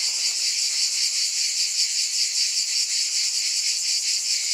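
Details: Cicadas buzzing as a dense, steady high-pitched hiss with a faint, quick shimmering pulse and no other sounds.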